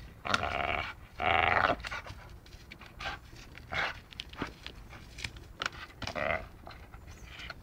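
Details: Playful dachshund biting, with two strong raspy growling bursts early on, then lighter grunts and huffs scattered through the rest amid rustling movement.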